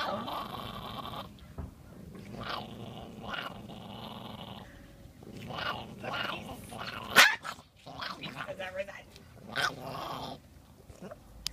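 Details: Chihuahua, angry after a bath, growls and snarls in repeated harsh bursts with one sudden loud snap. Human speech is heard between the bursts.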